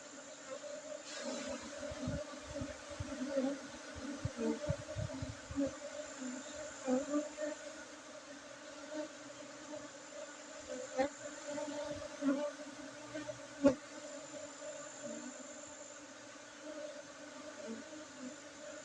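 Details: Honey bees buzzing as honey is harvested on 5 June 2023 in an Arabica coffee plantation, Bukit district, Bener Meriah, Aceh, Indonesia; a sustained low drone with clustered knocks early on and a few sharp clicks later.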